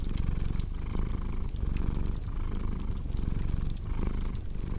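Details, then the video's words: Low, rough purring from a cat, rising and falling in breath cycles about once a second, layered with steady fireplace crackle and occasional sharp pops, made for calming deep-sleep listening. "Purring Cat with Cozy Crackling Fireplace Sound"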